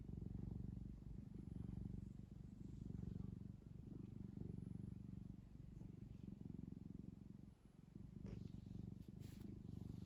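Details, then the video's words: Pet cat purring steadily while kneading a soft blanket, a continuous low rumbling throb pulsing about four times a second, with a brief dip near the end and faint rustling. "골골송, 꾹꾹이 대마왕"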